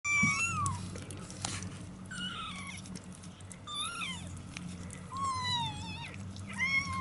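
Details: Several 27-day-old kittens meowing in thin, high, rising-falling cries scattered across the recording, with a steady low hum underneath.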